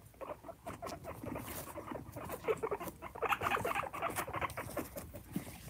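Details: Pet guinea pig rumbling: a rapid, throaty, pulsing vibration of closely spaced beats that comes in uneven bursts, with some rustling and shuffling.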